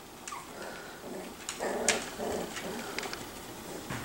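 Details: Five-week-old Miniature Schnauzer puppies in a playpen indoors, playing with toys and each other around feeding time: soft, low growling and whiny grumbles in short bursts, with light clicks and knocks from play and a person's voice nearby.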